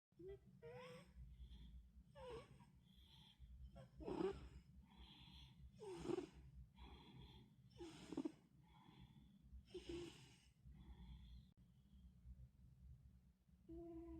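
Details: A cat snores with rhythmic, wheezy, breathy bursts about every two seconds, each rasping inhale spreading broadly across the range over a low steady rumble.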